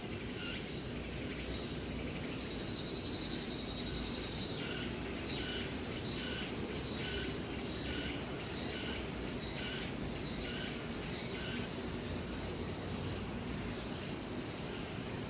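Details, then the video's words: Late-summer cicada chorus among the trees of Changgyeonggung Palace in Seoul, South Korea, a run of rhythmic pulsed buzzes rising and falling over several seconds, then fading, above a constant low hum of traffic-like noise. "Singing of Cicadas in Late Summer 늦여름 매미들의 시원한 합창소리"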